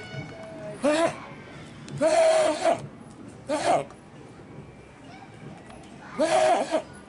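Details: Old billy goat at Suzaka City Zoo, filmed 19 November 2023, bleating lively: four loud, wavering, nasal bleats of about half a second each, spaced one to two seconds apart, with faint background hum between calls.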